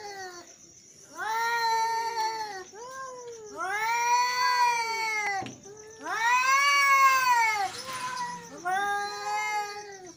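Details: Male cats in an angry standoff, giving loud arched yowls, each swelling up then falling, about four long wails with short pauses between, harsh and harmonic-rich; a faint high whine in the background.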